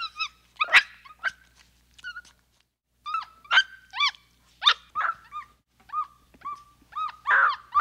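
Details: Busy sequence of capuchin monkey squeaks: upswept and arched whistled notes, some stacked and overlapping, with occasional harsher clicks and a scratchy closing call.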